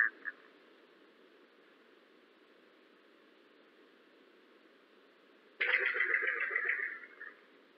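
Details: Yellow-bellied glider (Petaurus australis), call recorded by NSW forest ecology staff in New South Wales: a sudden harsh, gurgling shriek over steady background hiss.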